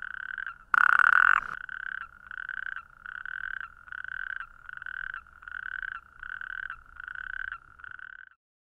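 A natterjack toad gives loud, rattling churrs, each half-second burst repeated in a steady series.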